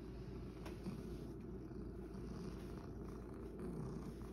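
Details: Sacchan, a rescued male cat living at Kazeno Kobo with an elderly housemate, purrs in a steady low rumble with no breaks; a faint click sounds early on, and the room is otherwise quiet.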